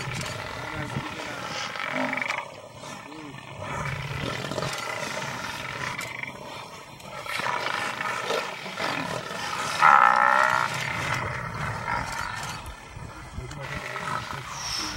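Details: Lion in a fight with buffalo: harsh, noisy growls and snarls rise and fall over several seconds, with broadband scuffling and rustling throughout and brief dips between bursts.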